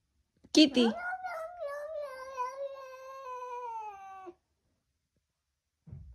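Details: Domestic cat addressing a lamb in Chile: after a short burst of human voice, a single prolonged meow rises briefly, then holds and slowly sinks over about three seconds before stopping abruptly.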